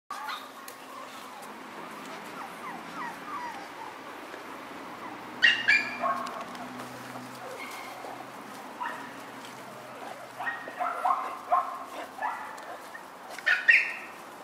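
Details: Four white Miniature Schnauzer puppy sisters, born September 10, giving scattered high squeaky yips and whimpers, mostly in short bursts after the fifth second, over a soft steady room hum.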